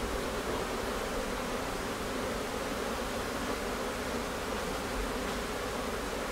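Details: Honey bee colony in Newfoundland in May, a few days before it swarmed, with bees flowing in and out of the hive; a dense, unbroken hum of countless wings fills the air steadily throughout.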